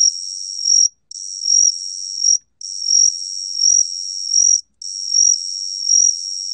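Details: A gaksi cricket sings, from a 2020 recording by Korea's National Institute of Biological Resources: sustained high trills pulsing louder about every 0.8 seconds, split into four phrases by brief pauses, heard against silence.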